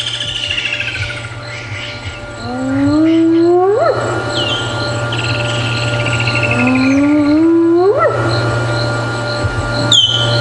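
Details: A spotted hyena calling quite close during a PM safari drive at Djuma Game Reserve on Jan 10, 2016, likely an adult, gives two long, mournful whoops, each sliding upward from a low hoot, to contact its clan.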